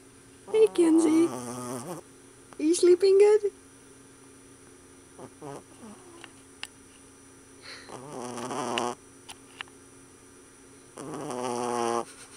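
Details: A puppy asleep, giving two brief squeaky, whining rises early on, then long buzzy rasping snores that swell and fade every few seconds over a faint constant hum.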